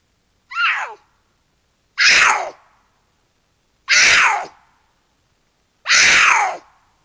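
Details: Cougar in the Angeles National Forest at night, one of two calling to each other in a canyon during courtship; loud harsh screams, each starting high and sliding downward, repeated about every two seconds, four calls in quiet surroundings.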